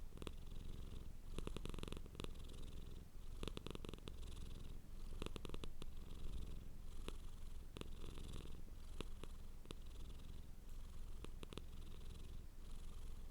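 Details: Pet cat purring hard up close: continuous deep rumble rising and falling in a regular breathing rhythm, with light crackling clicks over the top and no other sounds.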